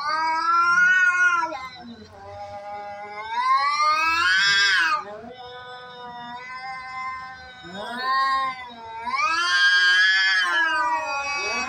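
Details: Cats fighting each other; long, drawn-out, wavering yowls that rise and fall in pitch, swelling into louder strained wails, then easing back into lower moaning growls.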